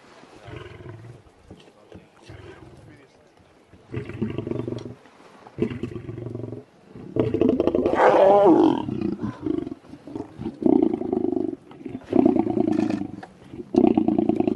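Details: Massive adult male lion in South Africa giving deep, rumbling roars that build into loud, throaty bursts, with men talking over parts of the sequence.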